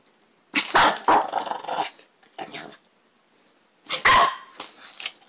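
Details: Shih Tzu dog indoors guarding a TV remote it holds, giving loud harsh growling barks in two bursts separated by a quiet gap, with a short softer growl between them.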